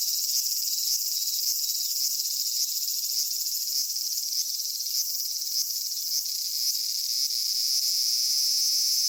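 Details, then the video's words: Japanese summer cicadas at Kitakami's Michinoku Folk Village and Kitakami Tenshochi, the minminzemi heard by day and the higurashi at dusk. A high buzzing drone carries brief ticking strokes about every half second, swelling toward the end. "夏セミの鳴き声 ミンミンゼミから夕方のひぐらしまで"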